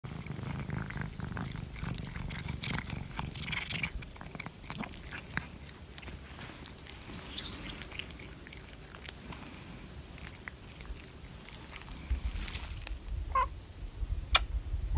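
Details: A calico cat purrs while licking chicken, close up. A steady low rumbling purr runs throughout, overlaid with wet licking and chewing clicks, and a few sharper clicks near the end.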